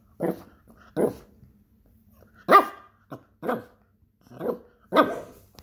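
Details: Foster Miniature Poodle barking in short separate bursts, seven sharp barks spaced irregularly about half a second to a second and a half apart, with a faint low hum between them and otherwise quiet surroundings.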